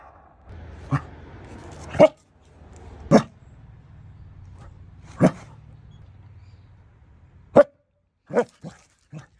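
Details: Pet dachshund barking to trick its owner into playing: short sharp barks spaced irregularly, a couple every few seconds, with a low steady hum underneath.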